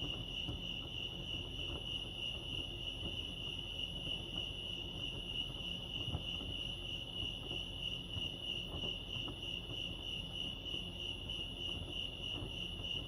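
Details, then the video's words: Continuous cricket chorus at Lake Arrowhead, California: a bright, rapidly pulsing high tone sustained evenly throughout, with light clicks and a soft low background murmur. "Serenity sounds crickets chirping lake arrowhead"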